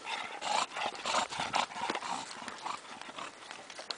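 An English Bulldog gives rough, breathy snorts and grunts in quick, uneven bursts.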